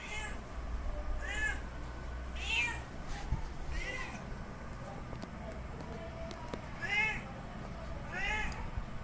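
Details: Male cat calling to a female in heat for mating: about six drawn-out, rising-then-falling meows over nine seconds, spaced unevenly, with a steady low hum underneath.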